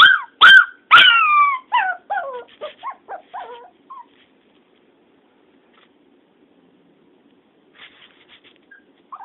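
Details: Pet dog missing the owner's sister, barking and howling when she is out of sight: three loud high yelps, then a quickening string of smaller falling whines that fade out, quiet stretch, faint yips at the end.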